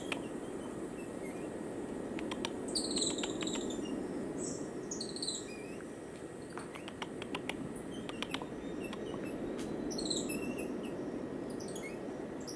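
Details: Cotton-top tamarin (Saguinus oedipus) from Colombia giving thin, high-pitched chirps and short sweeping whistles in scattered bursts.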